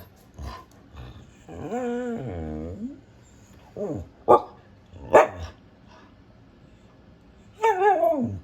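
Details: A female Siberian husky kept as a pet vocalizes in short bursts: a wavering, whining howl-like talk near two seconds, then sharp single barks and a falling, yodelling cry at the end, with quiet gaps between.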